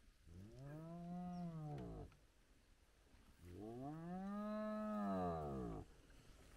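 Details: Two spotted hyena calls from a large clan back together at their den with active cubs, early morning at sunrise. Each is a deep, rich, arched moan of nearly two seconds, rising then falling, separated by a short gap.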